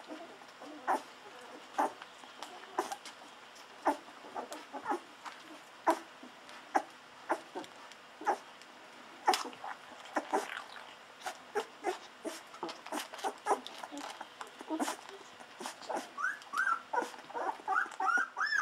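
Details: Golden Retriever puppies, fourteen days old, drinking milk from a bottle: rapid suckling smacks and clicks, with short high squeaks growing more frequent toward the end.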